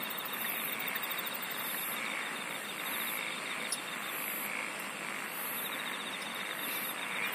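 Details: Natural insect chorus: high, evenly spaced buzzing bursts about a second apart over a lower rapid trill and a constant rasping wash of sound.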